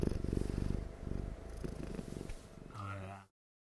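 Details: A cat dozing and purring without pause gives a low, rapid, rattling hum that slowly weakens. A brief tonal sound follows near the end before the recording cuts to silence.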